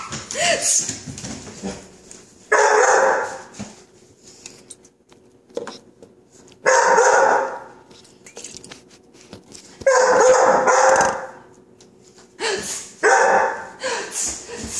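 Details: Scared of the "chhht" hiss of non-stick spray, Coco, a 5-month-old chocolate Labrador, gives loud barking bursts roughly every three seconds, separated by quieter gaps, while a person squeals and laughs.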